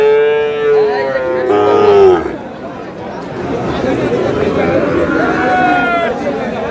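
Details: At a market selling Sahiwal bull calves, buyers from Comilla: a long, level bawl followed by a sliding, descending moo in quick succession, then busy market hubbub and men bargaining in Bengali.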